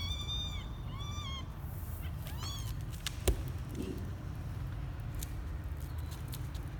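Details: Twelve-day-old male kitten venturing outside the box for the first time, January 2020; three high, arching mews in the first three seconds, followed by a sharp click and low background hum.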